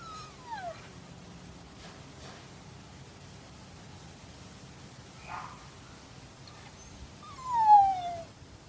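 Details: Siberian husky in Madison, Wisconsin, howling in reply to a neighbour dog barking down the street: two short, falling tonal wails at the start and end of the clip, the second longer and sliding smoothly downward, with quiet gaps between.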